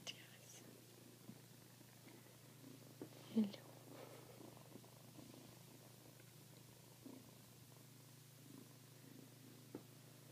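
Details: Kittens resting on people's laps indoors, a low, steady continuous purr running throughout, with soft whispered speech and a few brief handling rustles nearby.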